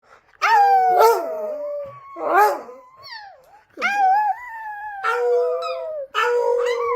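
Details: Pet Chihuahua howling: long, drawn-out tonal howls rich in harmonics, each held about a second and gently falling or wavering in pitch, coming in five separate bursts with short quiet gaps between them.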